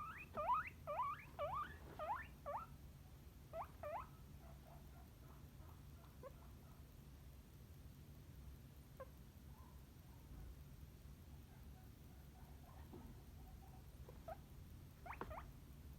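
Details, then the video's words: Guinea pig calling. A quick series of sharp rising squeals opens the recording. They fade into sparse, faint chirps and soft squeaks over a quiet background, with a couple of brief clicks near the end. "Guinea Pig Sound Effects"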